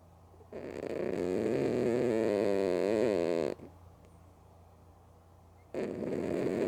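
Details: Loud snoring from Mookie, a female cat asleep with eyes open; one long buzzy, wavering breath of nearly three seconds, a quiet gap, then the next snore beginning.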